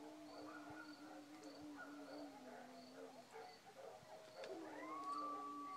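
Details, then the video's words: Night chorus of coyotes yipping at about 2:30 am, with village dogs joining in howling; broken, overlapping yelps and a sustained low howl, ending in a rising drawn-out howl, over a regular high cricket pulse. "Coyotes yip..."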